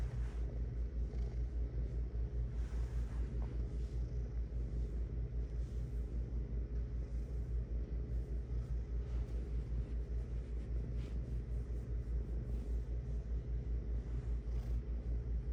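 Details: Domestic cat purring: a steady, deep, rhythmic rumble pulsing evenly throughout, low and continuous with faint higher hiss in the background.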